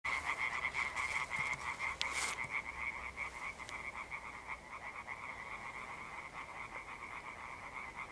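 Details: European tree frogs in an evening chorus of a rare amphibian, recorded 1 June 2021: rapid, dense train of harsh croaking pulses around a steady mid-high pitch, several callers overlapping, with a brief louder click burst near the start.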